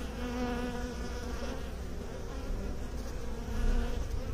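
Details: Humming of beekeepers' honey bees, a steady low drone with clear banded tones, swelling slightly louder near the end.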